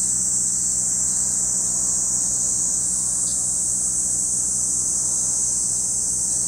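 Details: Cicadas shrill without pause near Lake Kamo, Sado City, Niigata Prefecture, Japan; a level, intense high buzz with a short brighter flick partway through and faint low hum behind.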